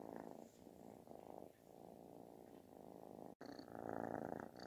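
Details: A kitten seeking affection purrs so loudly it resembles snoring, a rapid fluttering rumble that grows stronger toward the end after a brief cut.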